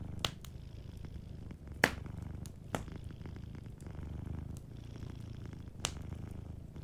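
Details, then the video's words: Soft low purr of a sleeping cat by a fireplace, a quiet rumbling undertone largely covered by loud, separate crackles and snaps from the burning wood. "Warm Fireplace Ambience with a Sleeping Cat 🐱💤Fireplace & Soft Purring"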